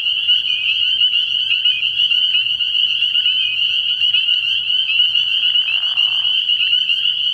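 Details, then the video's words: Many spring peepers calling together at a nighttime frog pond in early spring, producing a constant shrill ringing of high peeps with some clearer individual notes, over a quiet low hum. "Relaxing Tree Frog Sounds"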